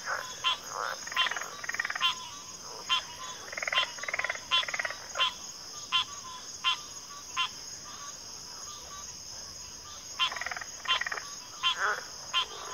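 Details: Frog chorus from a backwater, with pig frogs and water frogs named: short croaks repeated in uneven runs, some clustered into bursts, over a steady high insect drone.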